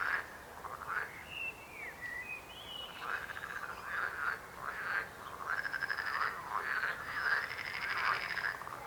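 Frogs croaking in a busy chorus of rapid, rattling, overlapping calls.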